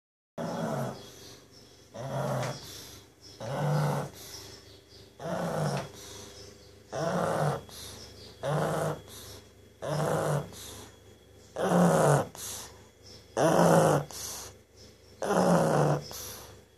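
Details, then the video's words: Sleeping pug snoring steadily indoors, a rough, low rasping snore drawn in roughly every 1.7 seconds, about ten even breaths, each a broad rumbling burst with brief quiet gaps between. "Pug snores"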